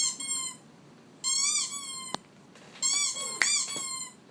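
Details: Squeaky sound from a pet dog: three high, piping squeaks, slightly rising then falling, separated by pauses, with a sharp click in between.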